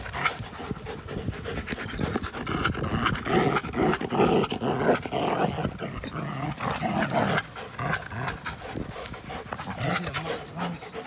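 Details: Playing dogs, American Pit Bull Terrier with a Belgian Malinois cross, recorded April 21, 2019; steady hoarse panting about two breaths per second, with low throaty growl noises and thumps of movement between them.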